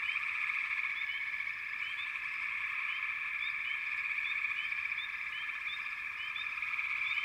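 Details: Dense frog chorus from backwater, a continuous layered trill in the mid range with short rising chirps repeating over it throughout, steady and unbroken.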